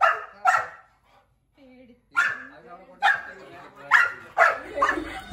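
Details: A German shepherd puppy meets an angry one-year-old Labrador for the first time. Sharp, loud barks come in bursts roughly once a second, with a short whine between them.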